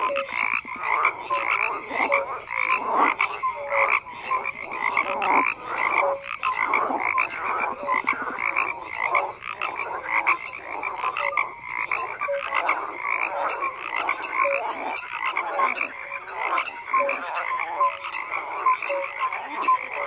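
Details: Many frogs croaking together in a dense chorus, rapid overlapping pulsed croaks repeating continuously with no pause, mid-pitched and raspy, strongest around the middle range; no other animals, voices or music heard.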